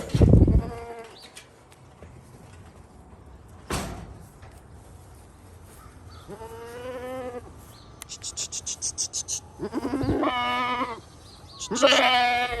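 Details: Domestic goats kept on a portable goat farm give three drawn-out, wavering bleats in the second half, each about a second long, after a loud thump near the start and a quiet stretch of background hiss.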